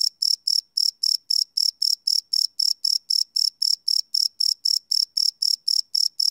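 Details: Crickets chirping at night, recorded live on a Sony PCM D100 field recorder: high pulsed chirps repeating about four times a second in a steady, even train, with no other sounds.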